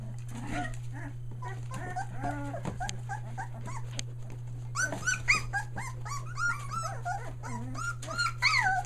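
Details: Australian Shepherd puppies a day short of three weeks old, near Mooresville, North Carolina, newly finding their voices: a litter's overlapping high squeaks and whiny yelps, rising and falling, busiest in the second half, over a steady low electrical hum.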